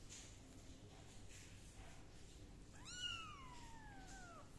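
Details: Kitten meowing while being dried with a towel and a gentle hair dryer: one drawn-out meow that starts high and slides steadily downward, heard over a constant low blowing hum.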